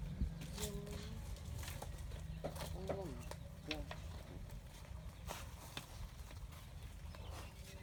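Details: In the morning, domestic goats moving and grazing in groups in a community forest bleat in short, wavering, nasal cries over a steady low rumble.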